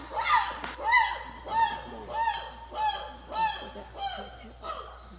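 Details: Habituated chimpanzees living in a free-roaming community on an island sanctuary give a loud series of arched, harmonic hoots, each rising and falling, repeated under a second apart.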